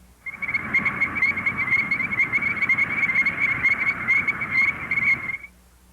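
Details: Illinois chorus frogs in Missouri, which breed in early spring in flooded fields and water-filled ditches, call in a chorus of high, shrill, rapidly repeated peeps.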